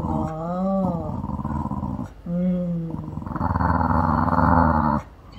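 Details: House puppy Mandoo complains while under the weather, apparently with stomach trouble and not eating until afternoon. Two arching nasal whines give way to a long, pulsing, throaty moan lasting nearly two seconds.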